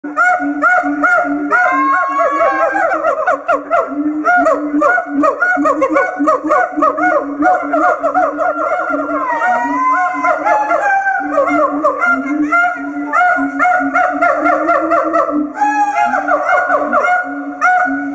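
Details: Siamangs give a long, continuous chorus of loud harmonic hoots and wails that rise and fall, songs amplified by the throat sac and sung as duets by mated pairs to strengthen their pair bond; Siamang.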